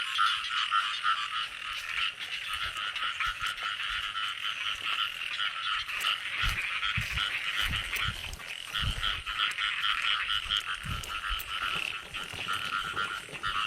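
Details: Many frogs croaking in the early-year rains as frogs are caught: a thick, rapidly pulsing chorus holding steady, with low thumps and handling knocks in the middle section.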